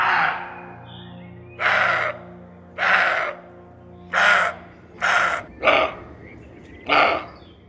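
A roe deer gives a series of harsh, hoarse barks, each short and rasping, about a second apart.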